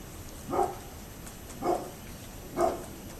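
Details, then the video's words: Three evenly spaced, muffled barks about one second apart from a neighbour's dog, recorded October 27, 2011, with faint background hiss. "Neighbors Barking Dog"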